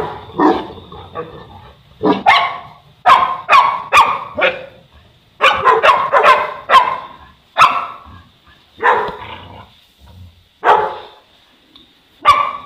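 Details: Egypt-based Boerboel, a South African Mastiff from a pair of dogs, giving loud, gruff barks, singly and in short groups, with longer gaps between them toward the end, plus a thin steady hum behind.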